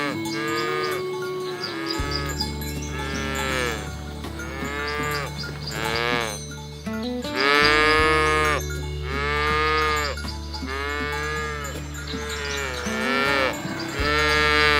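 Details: Free-ranging village cows herded through a green rice field toward the pen, calling in a series of repeated loud moos, some overlapping, every couple of seconds, with background music throughout.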